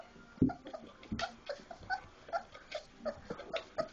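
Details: Young Labrador Retriever puppies, four weeks old, playing after eating; soft, short whimpers and small squeaks come in quick succession, fainter and more muffled, with a low thump near the start.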